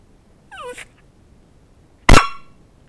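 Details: Pet dog Bowzer, being taught to bark for a piece of chicken held above him and whiny at times, gives a short falling whimper, then a loud, sharp single bark about a second and a half later.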